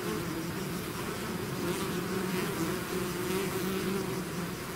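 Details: Swarming bees out of the hive produce an unbroken, even buzz, two clear humming pitch bands holding steady with slight wavering as the insects move about.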